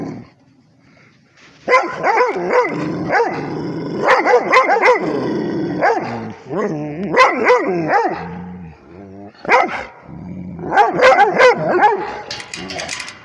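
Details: Rhodesian Ridgeback barking at a tablet in repeated bouts of sharp, bright barks, about three to four per second in each burst, with whiny drawn tones between bouts and a short silent lead-in.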